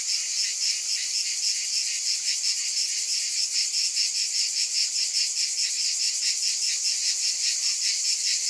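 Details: Cicadas fill the air with an even, high, hissing drone that throbs quickly and never pauses; no other animals or voices stand out.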